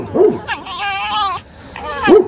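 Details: Tame pet fox waking in the morning, talkative during playful chasing: short yipping chirps, then a drawn-out nasal whine with rich overtones, ending in another quick yip, with a man speaking nearby.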